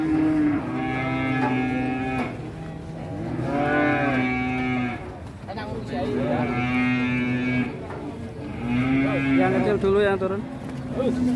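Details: Big agitated cattle coming down off a truck in Indonesia bellow in four long, wavering moos, each lasting one to two seconds, with steady music playing underneath.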